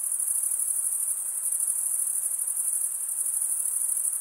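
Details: Continuous shrill trilling from crickets, the males chirping by scraping a wing edge across the comb-like teeth of the opposite wing. The pulsing tone holds level throughout, with no other sounds.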